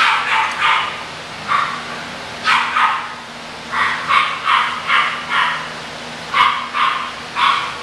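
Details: Several shrill yaps from English bulldog puppies, spaced roughly half a second apart and grouped in pairs and triplets, with a constant low background hum underneath.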